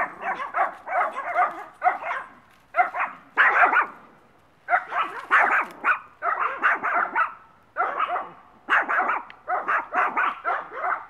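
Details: Small Maltese female Missy, one year old, at a Brooksville, Florida dog rescue, barks almost continuously in quick groups of three to five shrill, yappy notes with brief pauses between groups.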